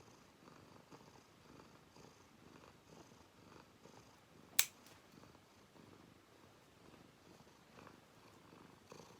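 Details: Domestic cat purring while its claws are clipped, recorded indoors: soft, low rhythmic purr pulses repeating about twice a second, interrupted once by a sharp click of the clipper.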